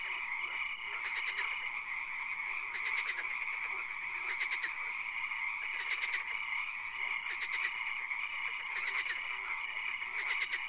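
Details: Swamp frogs at night, a setting with occasional rain: clusters of fast pulsed croaks recur every second or two from several callers, backed by a steady whining drone and soft hiss.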